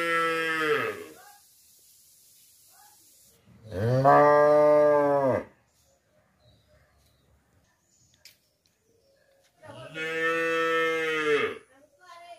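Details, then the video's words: Cow in a village setting: three long, loud, harmonic-rich moos, each lasting one to two seconds with a steady droning tone, separated by several seconds of quiet. "cow moo"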